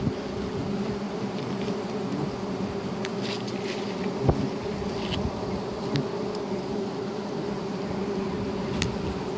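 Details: Wild giant honey bees (Apis dorsata) during a honey hunt, making a steady, dense droning hum with occasional clicks, crackles and a single sharp tap.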